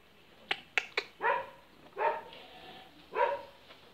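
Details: Chamois-coloured goats on a farm: three sharp clicks, then three short, nasal, harmonic bleats spaced about a second apart against steady background hiss.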